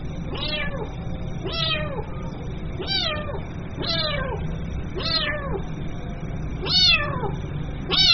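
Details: Seven plaintive kitten meows calling the mother cat, each a short high note curving downward, repeated a little more than once a second, the final ones louder, over a constant low hum.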